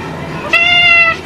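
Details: Rescued female cat Kaiku, once found abandoned, meowing for more potato while eating: one steady, harmonic-rich, drawn-out meow of about half a second, with a woman speaking Hindi just before and after.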